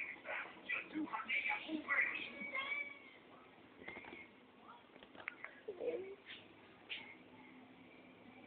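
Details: Three small pet cats calling indoors: a run of short, bright meows and mews overlapping at the start, then quieter scattered cries, with one low, rising-falling mew near the end.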